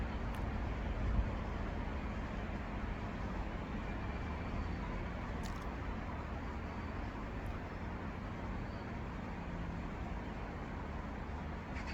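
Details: Steady low roar of road traffic fills the whole stretch, with a few faint clicks and no animal voice.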